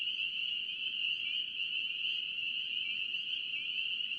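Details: A North Carolina chorus of spring peeper frogs, high sharp peeps overlapping so closely they form a continuous bright trill, with a few individual rising upslurred notes standing out against the wall of sound.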